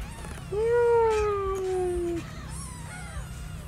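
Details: Newborn kitten calling loudly for its lost mother: one long, strained meow that holds a slowly falling, drawn-out tone for nearly two seconds, followed by a fainter short meow, over a low hum.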